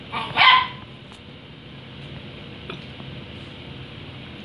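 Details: Indoor puppy barks at a water dispenser she is supposed to drink from; a single sharp bark near the start, followed by quiet room sound and soft clicks.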